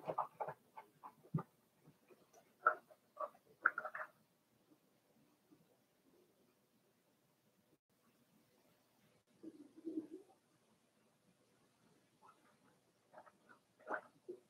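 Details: Four-week-old Cavalier King Charles Spaniel puppies from Daisy's litter in their puppy pen, giving short high squeaky whimpers and yelps in clustered bursts, a quiet gap in the middle, then more squeals near the end.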